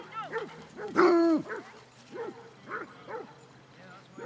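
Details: Basset Hounds, part of a pack of 22 on a walk round Belwade Farm, Dess, Aboyne, Scotland, on 2 October 2016: arched, bugling yelps roughly every half second, one louder drawn-out bay mid-way, over a steady low hum and faint voices.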